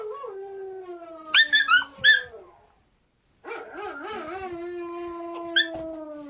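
A Siberian Husky puppy gives a thin, wavering howl that slowly slides downward, broken by a few sharp yips.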